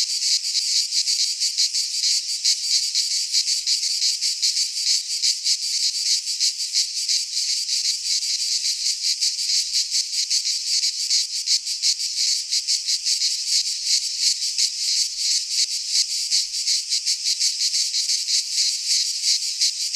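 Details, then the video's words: Greek cicadas singing in a pine wood at midsummer, an unbroken shrill rasping drone with rapid flickering pulses, many insects overlapping into one wall of sound. "Cicadas singing in midsummer"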